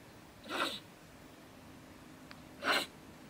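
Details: Female stone marten, or beech marten, living in a woodpile beside a shed in Germany, ranting in bad temper around 10 pm at night. Two short, harsh, breathy hissing bursts about two seconds apart over a quiet background.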